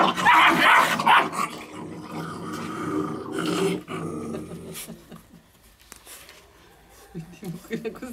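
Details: Rottweiler; growl; puppies play-fighting over a toy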